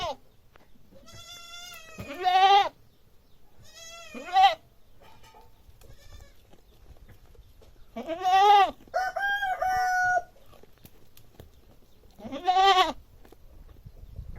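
A goat gives loud, wavering bleats, several in a row with pauses between.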